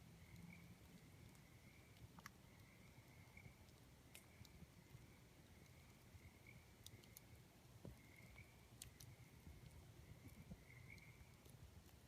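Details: Tree frogs trill at night in steady, high bursts over the crackle and pop of a campfire.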